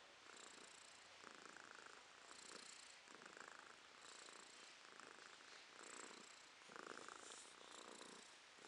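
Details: Romashka, a domestic cat, purring in April 2023: a soft, steady rasping hum that swells and fades in regular cycles about every one and a half seconds, each breath audible as a brighter, louder stretch, in a quiet indoor setting.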